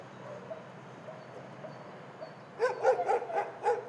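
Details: Dog shelter soundscape with faint far-off barking, then a nearby dog breaks into a quick run of about six loud, sharp barks in the last second and a half.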